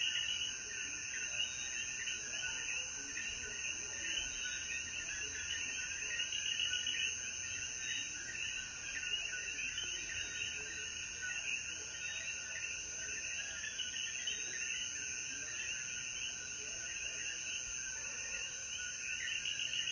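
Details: Coquí frogs in the mountains of Jayuya, Puerto Rico, calling at sunset after the rain: a dense, continuous chorus of overlapping chirping notes, with a steady high insect hiss above.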